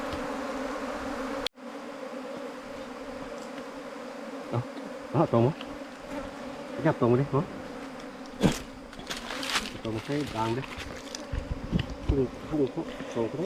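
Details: Bees at a nest inside a four-metre bamboo stem: a steady low droning hum runs throughout, broken by bursts of nearby human speech and a sharp click early on.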